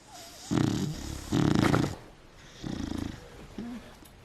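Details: Sleeping female beagle nestled in bed covers indoors snores in three rattling, pulsed bursts about a second apart, each a harsh buzzing inhale, followed by a soft short whine-like squeak near the end.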